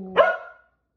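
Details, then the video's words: Single excited bark from a pet Keeshond eager to go play outside: a short, sharp, harmonic-rich yelp that fades quickly, following a person's coaxing talk about going outside. "Cute Keeshond Is Excited To Go Play Outside!"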